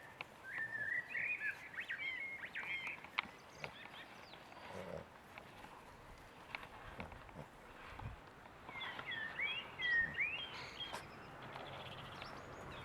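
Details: Boston Terrier puppies, six weeks old, letting out bursts of thin, wavering squeals: one cluster near the start and another around ten seconds, with scattered soft knocks and rustles in between.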